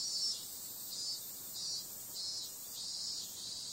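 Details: Summer-night cicadas calling as a high, sizzling drone, swelling and fading in repeated waves under a thin steady upper whine; nothing else stands out.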